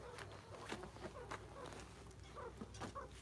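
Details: Meerkats at a zoo, foraging while one stands sentry, give soft, short chirps and peeps, contact calls that tell each other where they are within the group.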